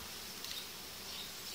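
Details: Honey bees in a hive as colonies are united, with the uniting diaphragms being removed about five days after they were added; a steady, dense, hissy hum fills the hive, with faint brighter flickers of buzzing.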